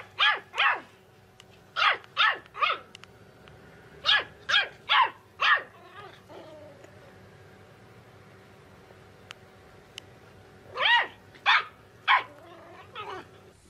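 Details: Puppy barking: clusters of two to four high, sharp yaps, then a pause with soft whimpering, then another burst of three barks near the end; indoor quiet between.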